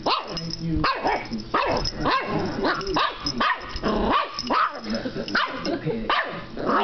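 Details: Dachshund puppy barking in a rapid series of short, high, yappy barks, about two each second, with some growly notes and a person's voice in the background.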